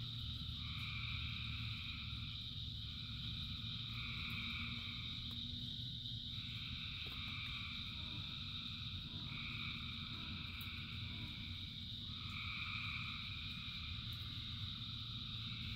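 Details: Thousands of frogs singing in the rain: a dense chorus of steady overlapping tones with blocks of brighter pulsed calls that switch on and off every few seconds, over a constant low rumble of rainfall.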